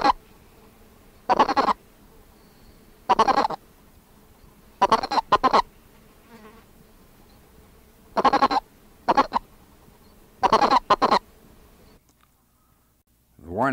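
A Colorado River toad gives its warning note, a series of short, hoarse clucks rather than chirps.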